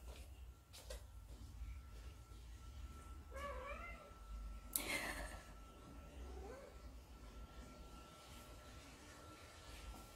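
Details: Munchkin cat meowing to get its owner to play, a soft wavering meow midway through amid faint rustles, a sharp knock and steady low hum.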